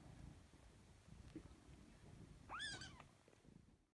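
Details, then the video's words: Cute five-week-old kitten giving one clear high mew near the end, rising sharply then gently falling, lasting under half a second, after quiet low background rumble. "5 Week Old * Cute Baby Kitten * Meowing"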